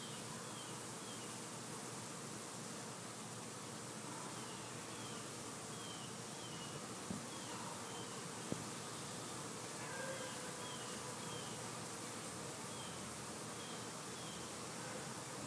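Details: Summer bees at work: a thick, unbroken humming drone fills the air throughout, joined by faint, short, repeated chirps from birds in the background and a couple of soft knocks near the middle.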